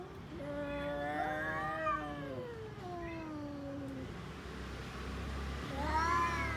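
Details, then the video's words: Orange-and-white domestic cat producing drawn-out, wavering yowls in two long descending phrases, then a rising plaintive cry at the end, over a steady low background hum. "Cat funny sounds"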